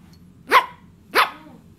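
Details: Nyssa, a Yorkshire Terrier, playing with a cricket ball, gives two sharp, bright barks about two-thirds of a second apart, each a quick rising burst, with a quiet background between them.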